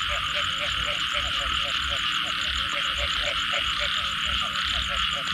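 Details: Frogs calling after rain in a Thai nature recording, a dense chorus of rapid, regular croaking pulses repeated several times a second over a steady high insect-like hiss, with a low rumbling background.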